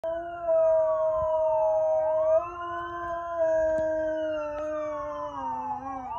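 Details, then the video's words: A dog howls in response to a police siren: long sustained tones that slide and waver, layered over the siren's own smooth rising and falling wail, steady throughout with a few faint clicks. "Dog howling at police siren"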